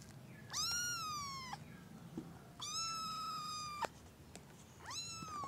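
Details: Three drawn-out kitten meows, each about a second long, rising sharply then holding a steady, slightly falling harmonic tone, spaced about two seconds apart, in a quiet indoor room with faint low hum and a few clicks.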